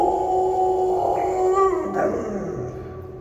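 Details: Kani, a pet dog, ends a howl: a sustained tonal note wavers and then glides downward over about a second, fading out.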